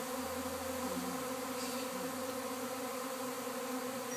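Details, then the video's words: Honey bee swarm landing near a fig tree at an Arcata house; steady, dense humming with layered tones and a faint low engine-like drone in the first second. "Hey what's that buzzing sound?"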